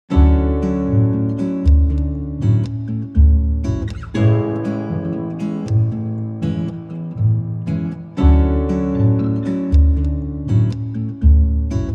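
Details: Plucked acoustic guitar music with steady low chords and bright repeated notes, and no animal voices at all.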